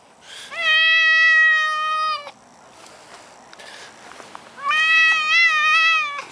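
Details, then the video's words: Male Maine Coon cat in a garden, unwilling to leave his favourite bush, gives two long, drawn-out harmonic meows of nearly two seconds each, level in pitch with a slight wavering, separated by a quiet pause with faint rustling. "the talking Maine coon cat"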